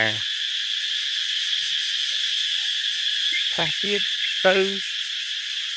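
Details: Cicadas crying at dawn around 5:30 before sunrise, in cool countryside weather as the new year approaches: a steady, shrill, high-pitched drone runs unbroken throughout, with a man's voice speaking briefly at the start and again near the end.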